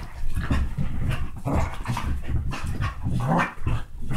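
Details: Pet dogs, a Basset hound and Dachshund mix, playing hard: continuous low rough growls and snorts with breathy panting, over scuffling noise from the rough play.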